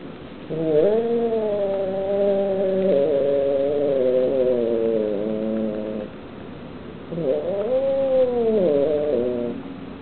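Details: Annoyed kitten guarding the meat it is eating gives two long moaning yowls. The first is steady and lasts about five seconds. After a short gap, the second arches up and then down.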